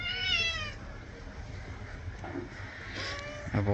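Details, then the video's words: Cat being washed, with one loud, high meow at the start, then fainter calls and soft background talking. "Cat bathing"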